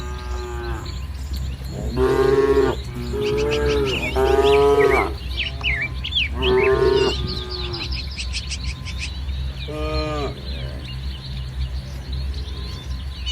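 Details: A herd of village cattle with coats from light brown to jet black lows repeatedly in a lush green rice field at morning, overlapping rich moos in quick succession while birds twitter busily overhead.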